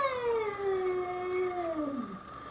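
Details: Domestic cat confronting a curious young bobcat wandering on a bed and breakfast deck in Whistler, British Columbia; one long, drawn-out yowl with rich harmonics, sliding steadily downward in pitch over about two and a half seconds, then fading.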